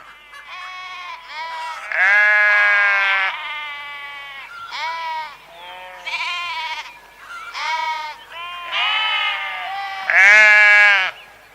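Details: Several sheep bleat in turn: a rapid series of quavering, nasal baas, some long and loud and others short, with brief pauses between them and a quiet background.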